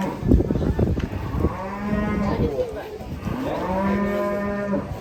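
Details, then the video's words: Large cattle said to be enraged while about to be sold lets out two long, low, harmonic moos, each held steady for over a second, after some knocking and clattering at the start. "SAPI NYA NGAMUK PAS MAU DI JUAL"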